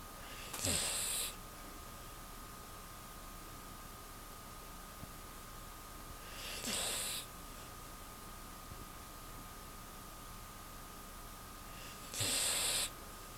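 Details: Choco, a pet Beagle fast asleep, snoring indoors: three breathy, hissing snores, each about half a second long and spaced roughly six seconds apart, with a faint steady hum and near silence between breaths.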